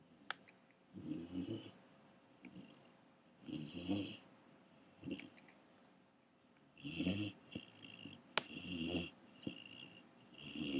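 A Great Dane puppy snores in slow, rasping breaths that return every two to three seconds.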